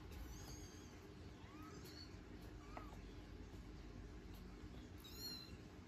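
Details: Norwegian Forest Cat mother with her three kittens; faint, thin, high-pitched mews, short and rising, scattered across a few seconds over a steady low background hum.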